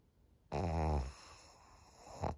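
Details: Pug Maria, a thirteen-year-old senior fawn female in Japan, snores once: a rough, low rattling inhale of about half a second, then a softer breathy exhale trailing off indoors.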